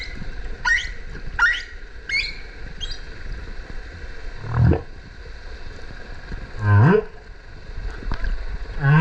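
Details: Humpback whale underwater off the Kerama Islands, Okinawa, Japan, in winter breeding season; mother and calf present. Low rising moans and groans alternate with short higher chirps, repeated at irregular intervals over ocean hiss.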